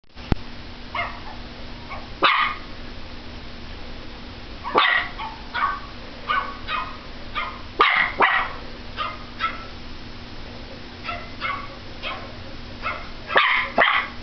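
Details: Pomeranian barking at a computer indoors: high, sharp yaps come in scattered bursts, some loud and some softer, with irregular gaps over the stretch, over a steady low electrical hum.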